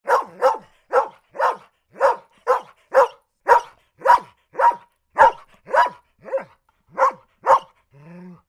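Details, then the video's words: Golden Retriever, a large dog, barking in a steady series of about fourteen sharp, full barks over eight seconds. Barks come roughly every half second, with a softer whining note at the end and no other sounds. "Large Dog: Golden Retriever: Barking Dogs"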